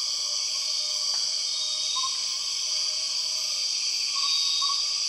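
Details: Continuous shrill droning of empress cicadas, the 6 o'clock cicadas of Borneo's jungle, with a constant layered high whine and a few soft lower whistled notes and a brief click.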